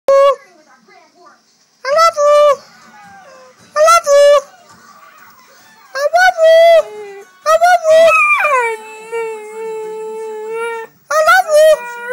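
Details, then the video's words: Marli, an 8-month-old Staffordshire Bull Terrier crossed with an American Staffordshire Terrier, indoors producing howl-like yowling vocalizations in short bursts, one long drawn-out sustained tone near the end, imitating "I love you". "Dog saying I Love You"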